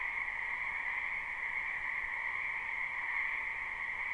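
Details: Frogs in a spring wetland, recorded live without looping. A softer, continuous chorus of buzzy croaks sits in two pitch layers and keeps a steady level.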